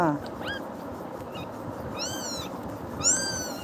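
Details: Frightened kitten crying after being scared by Tiger, running and clinging to a person; three high, arching meows spaced about a second apart, with a person's soothing voice and room noise around them.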